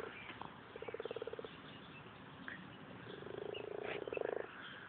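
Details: Many frogs crowded into a very small garden pond in the UK croak in rapid pulsed trains, one short burst near the start and a longer, louder rattling run toward the end, over faint background hiss.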